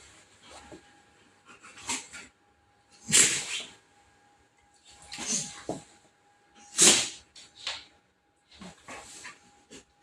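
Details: Labrador Retriever sneezing repeatedly indoors, sharp breathy bursts coming every one to two seconds, some stronger than others, with a faint steady hum underneath.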